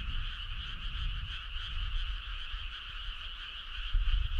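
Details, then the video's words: Frog chorus on a summer night along a country road: a dense, steady trilling drone in two bands, one middle-pitched and one higher, with low rumbling noise underneath and a louder thump near the end. "Cool frog sound"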